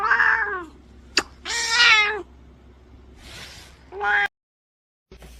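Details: Domestic cat meowing: a short harmonic meow, a sharp click, then a longer, louder wavering meow, a soft breathy sound, and a final brief meow before sudden silence.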